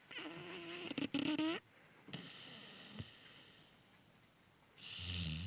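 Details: Sleeping Cane Corso puppy snoring loudly. A nasal, whining, tonal snore lasts about a second and a half, then quiet breathing, then a low rough snore begins at the end.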